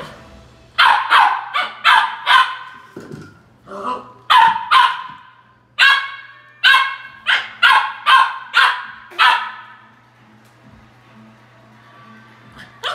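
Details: Indoor puppy barks at an empty toilet paper roll: rapid runs of sharp, bright barks, some softer yips mixed in, about a dozen in quick succession before trailing off into quiet with a low background hum.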